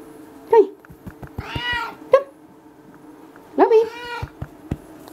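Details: Pet cat being cuddled, uttering brief chirping meows and two drawn-out meows, over a constant low hum with occasional tapping sounds and human vocal noises.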